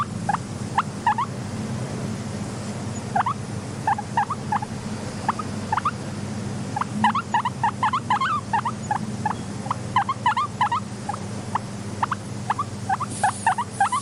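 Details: Soft wheeking from a content pet guinea pig: a long run of short, rising squeaks in rapid clusters, denser toward the middle, set against a constant low background hum.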